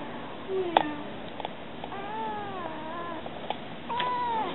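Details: A stray kitten talks to people indoors with a run of soft, wavering meows that rise and fall, ending in a longer, steadier meow, mixed with small clicks and taps over a low background hum.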